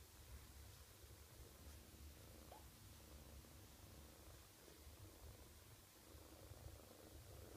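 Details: Purring of a sleepy young female foster cat during a belly rub, feet held up: a continuous quiet low-pitched throbbing rumble with no breaks, close and indoors.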